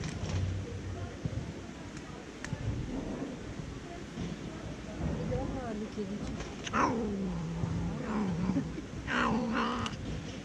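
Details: Fluffy female tortoiseshell cat, a little jealous, making odd noises while eating: low murmuring grumbles, then drawn-out wavering moan-like growls that rise and fall in the last few seconds. Faint background chatter is also heard.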